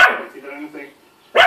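A Lhasa Apso gives sharp barks, with a man's narration from a television behind.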